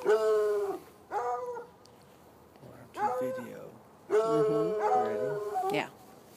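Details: On a Saturday night, hounds chained near a red outbuilding bark from across an irrigation ditch roughly 10 yards away: clipped, tonal barks followed by a long wavering bay, with a person's voice mixed in.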